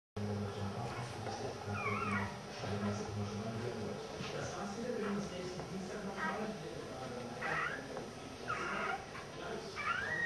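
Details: Samoyed puppies, born December 11, 2009, with their mother, giving short high squeaky whines that rise and fall, scattered through the recording over a steady low hum and a woman speaking German.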